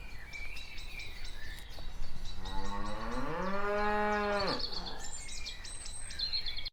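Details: Cows walking: one long, rich moo rises and holds steady for about two and a half seconds, then cuts off, with faint bird chirps and background noise around it.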